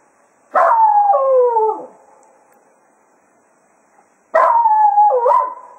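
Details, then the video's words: Cato, a Jack Russell Terrier at Quail Roost, serenading the hounds in farewell as a day of foxhunting ends: two wavering, descending howls, each about a second long, separated by a few seconds of quiet. "Cato Serenading the Hounds after a Day of Hunting at Quail Roost"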